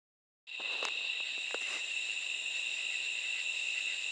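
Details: Katydids at night give a steady, high, shrill drone that starts abruptly and holds unbroken.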